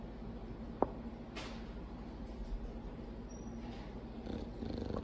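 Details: Mildred, a female Bulldog and mate of Clyde, snoring loudly as she sleeps; a steady low rumbling snore runs through the clip, with a sharp click near the start and slightly louder breaths toward the end.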